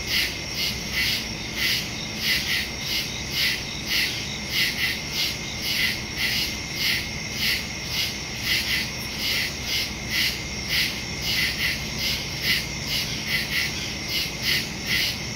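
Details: Woods at night alive with crickets, September 2, 2023, phone recording through a Shure MV88+ stereo microphone: a long run of rapid, regular high chirps layered over a dense shrill insect chorus.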